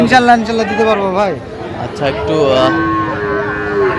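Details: A Sahiwal bull calf, one of those a Khulna farmer bought on 17 October 2025, gives a short moo that dips in pitch, then a longer level bellow, while people talk nearby.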